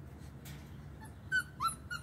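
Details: Rhodesian Ridgeback puppies at play during socialization, giving a few short high whimpering yips near the end, thin and squeaky with a slight rise, over a low steady background hum.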